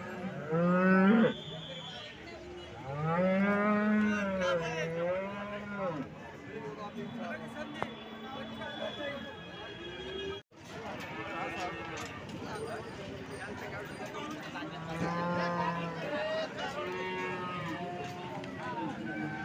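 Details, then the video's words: Cows at the Alephata cattle market on 21 March 2024: arching, rising-then-falling moos from several animals with rich harmonics, a brief gap midway, then more lowing under people talking about offers and the animals' age. "आळेफाटा गाय बाजार दिनांक 21 मार्च 2024 Live"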